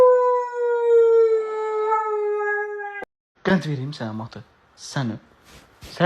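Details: Husky named Matı at home gives a long, steady drawn-out howl lasting about three seconds, pitch sliding gently downward, then a person speaks Azerbaijani in short bursts.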